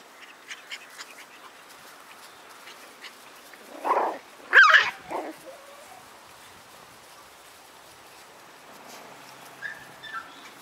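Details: Seven White Schnauzer littermates born on 9/3; a pup lets out a couple of sharp, high yelping barks in quick succession midway, then faint whimpers and soft rustling follow.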